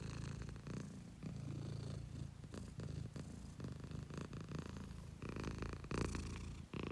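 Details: A pet domestic cat purring up close: a deep, rumbling low drone pulsing with each breath, the in-and-out cycles marked by brief breaks, with a louder, breathier stretch near the end.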